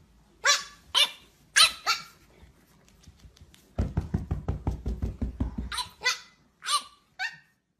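A pug gives sharp, high barks, then a rapid run of short, throaty yaps before more barks.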